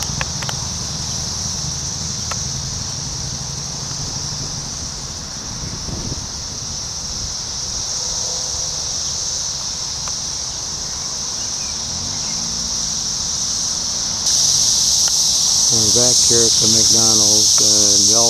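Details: Periodical cicadas of Brood X flying high overhead at a McDonald's in Ohio in June 2021. A constant piercing whine grows louder toward the end, with traffic rumble and a few short squeaky calls near the close.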